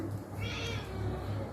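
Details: Domestic cats at play with a woman indoors; one short, high harmonic meow lasting about half a second sits over a steady low electrical hum and room noise.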